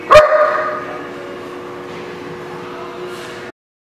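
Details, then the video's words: Dog recorded at The Barking Lot on 5/11/19: one sharp, loud bark right at the start, then a long steady tonal hum holding at one pitch for about three seconds before cutting off abruptly. "The Barking Lot"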